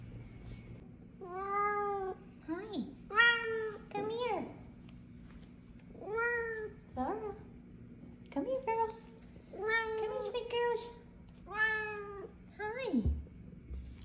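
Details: Two F2 Savannah cats, at least one female, happily greet their owner home from work with a run of drawn-out, arching meows, some rising, some falling steeply at the end.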